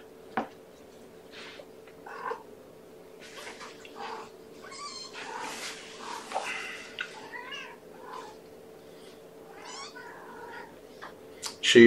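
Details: Kitten Amber, still hungry and vocal while being syringe-fed at breakfast, 2018-05-07, one of Gamora's five kittens born April 14. A busy run of high, wavering mews, some with quavering ends, closing on a loud bump.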